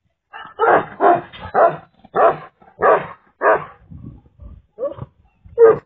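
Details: Enormous Tibetan Mastiff, a guardian breed, barking: a run of six deep, booming barks about half a second apart, then softer, shorter woofs trailing off, ending with one sharp bark.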